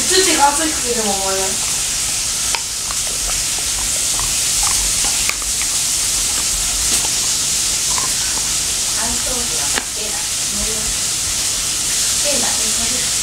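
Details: Labradoodle Mei gnawing a dental chew indoors, rapid irregular crunchy clicks, about four per second, against constant hiss, with a woman's voice talking at the start and again near the end.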